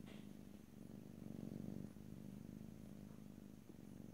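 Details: Short stretch of a domestic cat's purr, a close, rhythmic low rumble that grows louder around the middle and then eases, with a faint high squeak at the very start.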